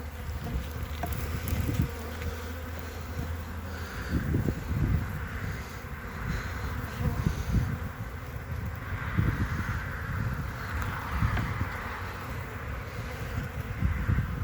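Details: Honey bee colony on three frames as the hive is closed on 14 February 2021 to avoid chilling the brood nest. A low droning buzz runs beneath heavy rumbling bursts from handling and microphone buffeting.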